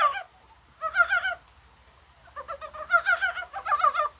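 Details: Korean brown frogs calling on a mild, spring-like January 21 in the rain, possibly while spawning; short harmonic, pulsed croaks in quick rattling bursts, three clusters with pauses between them.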